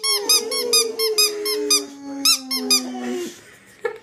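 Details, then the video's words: Boxer dogs indoors puffing out their cheeks and making funny voices on hearing a squeaky toy: a long, wavering whine gliding slowly downward, overlaid by rapid high toy squeaks about twice a second, ending in a short yelp. "Dogs making funny sounds"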